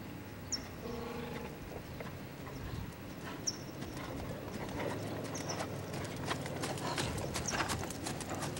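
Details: Clip-clop of the Lusitano stallion Lavrador: sharp, uneven hoof strikes building through the second half, over a low background hum and a few scattered high chirps.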